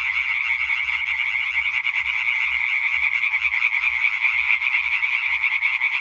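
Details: Many Hyla arborea calling together on 20 May 2023, rapid nasal croaks stacked into a loud, continuous rattle, individual pulses faintly audible at roughly two to three per second beneath the dense chorus.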